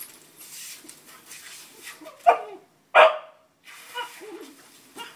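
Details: A male Boston Terrier, going wild over a garden hose he loves, gives two sharp, loud barks amid a steady hiss of running water.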